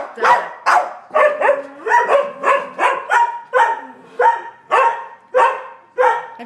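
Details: Three dogs, Sheltie, Collie and Frenchie, bark at a squirrel on a rainy March day; steady run of loud, repeated barks with overlapping voices, roughly two per second.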